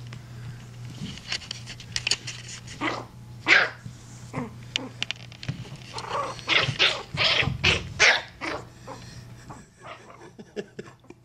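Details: Jax, a Yorkshire Terrier puppy about five and a half weeks old, bottle fed and mothered by an older Yorkie named Bella, gives short high yips and squeaky barks in irregular bursts, with a steady low hum beneath.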